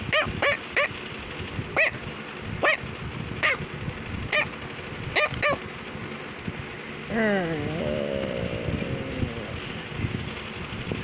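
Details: Pet Cavalier King Charles Spaniel barking indoors while wanting to tell its owner something: sharp, separate barks come in an uneven series, then a drawn-out wavering whine with a falling then rising pitch to close.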